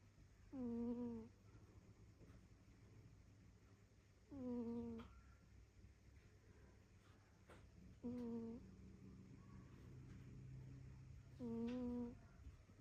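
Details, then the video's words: A cat snoring in sleep, four tonal, nasal snores repeated evenly about every three and a half seconds with breathing, each steady and briefly sustained, over a soft low background hum. "А ваш кот тоже храпит? Does your cat snore too?"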